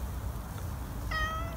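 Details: Domestic cat meowing on meeting a person it likes: after a quiet stretch with low background rumble, a single clear, tonal, slightly rising meow starts near the end and holds steady.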